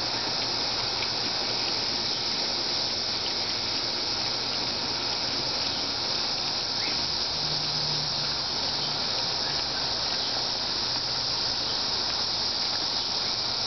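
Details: Continuous high, dense cicada buzz, an unbroken hissing drone of even loudness throughout, with a faint low hum in the background.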